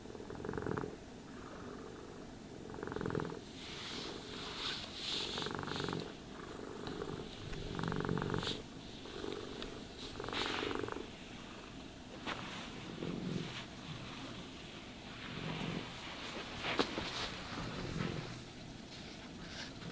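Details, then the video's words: Cat purring through a grooming session, the low throaty rumble pulsing with each inhale and exhale, mixed with rustling brush strokes and occasional crisp ticking sounds; quiet indoors without speech. "Cats Purring Sounds for Sleep and Stress Relief | Cat Brushing, Cat Grooming"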